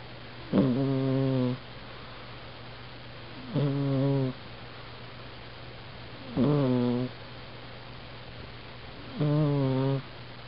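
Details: Sleeping house cat snores, recorded with a Canon A480 compact camera: four evenly spaced nasal, buzzing breaths about every three seconds, each a steady harmonic tone of under a second, with a faint continuous hum between them.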